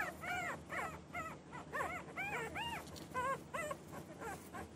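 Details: Newborn puppies whining in short, clear arched cries, one after another about every half second, bright and plaintive.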